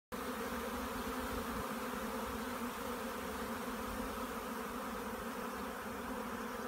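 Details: A honey bee swarm settling in a Devon hedge at 12:30 on a warm, sunny 5 May 2018, the season's first swarm, makes a dense, steady hum of many wingbeats merging into one continuous drone.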